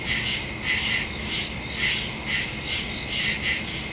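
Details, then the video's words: Night crickets in woodland, September 2, 2023, Shure MV88+ stereo mic on a phone; short bursts of high, pulsing chirps about twice a second ride over an unbroken shrill background chorus. "Crickets in the woods at night"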